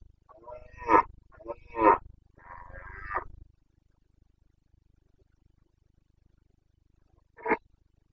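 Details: Carpathian red deer stag bellowing in the rut, Bucovina, 29.09.2022: a run of three coarse roars, the first two peaking sharply and the third drawn out, then four seconds of quiet before one short final roar.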